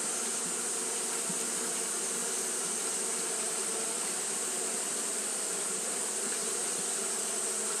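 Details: Continuous low hum of Japanese honey bees doing fanning behaviour in hot weather, with several steady droning tones that never break, and a persistent sharp hiss above them.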